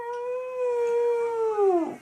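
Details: Household dog vocalising at its humans in a steady, even howl held for nearly two seconds, then bending sharply downward at the end, with a faint room hum behind.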